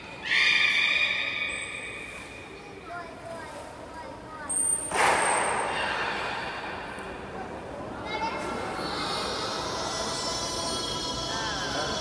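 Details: Belugas in training at Port of Nagoya Public Aquarium, all animals joining in, 16 November 2024; a strong harmonic squeal opens, then scattered nasal chirps, short high whistle tones and a later rising buzzy call over a reverberant indoor background.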